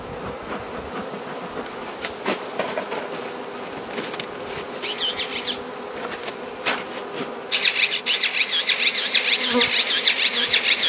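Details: Winter-fed Carniolan honey bee hive, Mountain Camp method, southern Finland, 16 March 2017, +3 C, queen present; low steady hum with faint bird chirps, then loud rhythmic rasping scrapes about twice a second over the last three seconds.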